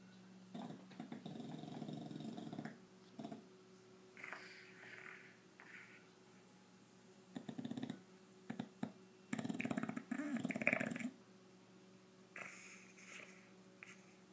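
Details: A male English Bulldog snores in rough, rattling bursts as it breathes in its sleep during an afternoon nap.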